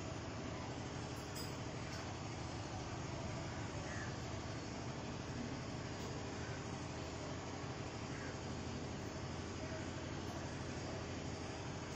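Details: Steady broadband hiss and rumble, like a vehicle or train interior, with faint murmured speech and no clear animal sound.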